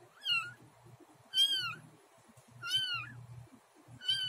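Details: Domestic cat Luna, having just given birth to kitten Snow and eating the placenta; four loud, high, arching meows roughly every 1.2 seconds, with soft low rustling and chewing-like noises between them.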